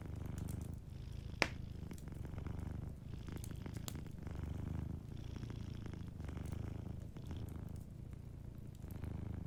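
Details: A sleeping cat purrs steadily beside a fireplace, a low rhythmic rumble in repeated breath-length swells, with a loud fire pop early on and lighter crackling afterward.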